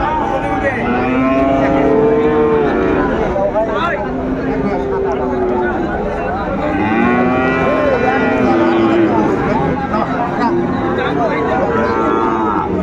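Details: Sahiwal bull calves and cattle bought by a Chattogram farmer at a cattle market on 17 January 2025; many overlapping low drawn-out moos and bellows fill the recording continuously, with crowd chatter beneath.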